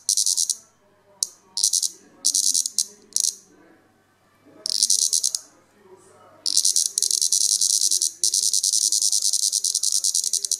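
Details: Plebeian cicada (Lyristes plebeja) disturbed on purpose while feeding on sap, voicing displeasure: short choppy bursts of harsh high buzzing, then a longer sustained stretch, with a man talking in between.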